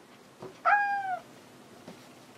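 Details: House cat indoors calling out as it searches for a companion cat: a single drawn-out, steady meow that dips slightly at the end, with faint room sounds around it.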